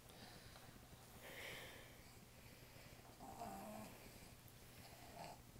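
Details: Bonnie, a pet dog, snoring loudly while asleep indoors in a small room: soft, breathy rasping bursts around every two seconds over a low steady hum, with faint laughter-free quiet between breaths.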